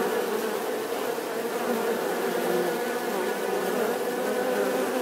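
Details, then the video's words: Bee drone, a constant, thick humming buzz that stays level for the whole short stretch. "Tiếng kêu của con Ong || The sound and picture of the Bee"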